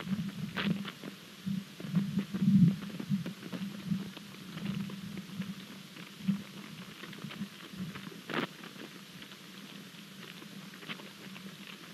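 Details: Only a low, steady rumbling hum is heard, broken by scattered thumps and clicks, with no animal calls.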